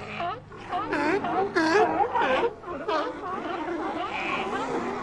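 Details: Sea lions calling together, a dense overlapping chorus of short harmonic barks and bleats with curving, wavering pitch, several voices at once with brief louder bursts over a continuous murmur.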